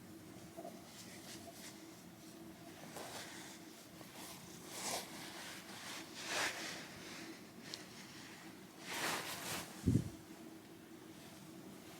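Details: Quiet room tone with faint rustling, scattered soft clicks and a brief knock near the tenth second.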